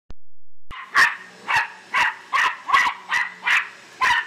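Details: Australian silky terrier named Bear barking frantically at a vacuum cleaner indoors; eight sharp, bright barks in steady succession about every half second after a brief click, with a faint steady hum underneath.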